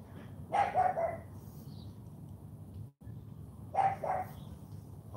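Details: Charme, an AKC Cane Corso puppy, barking during morning training: two deep, hoarse barks, each a short burst of two or three gruff pulses, about three seconds apart, over a low steady background hum.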